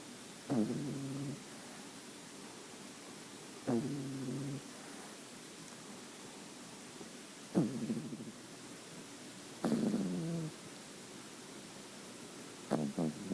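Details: Nine-week-old French Bulldog Luna, a white creamy female puppy, snores steadily: five gravelly, vibrating snorts, each starting abruptly and fading over about a second, spaced roughly three seconds apart in a quiet room.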